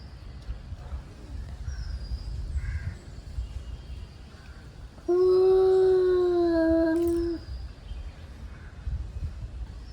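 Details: Angry male cats warming up before fighting; after several seconds of low background rumble and faint chirps, one long, even yowl rises in for about two seconds and then breaks off.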